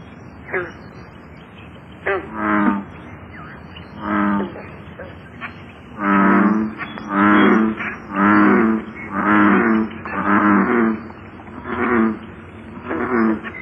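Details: American bullfrog calling in a series of deep, resonant, throbbing notes, each about half a second to a second long, repeated roughly every second with a pause after the opening notes; faint steady background hum.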